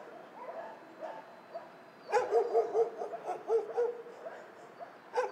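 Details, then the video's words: Dogs at a dog shelter, faint distant barking at first, then a sudden run of loud, clear, tonal barks in quick succession, about six in two seconds, with more barking further off behind. "Tło dźwiękowe schroniska dla psów"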